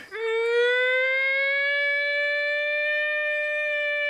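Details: A wild gray wolf in Algonquin Park gives a long, smooth howl that rises slightly, then holds a steady, clear pitch, answering a group's howl during a public wolf-howl outing.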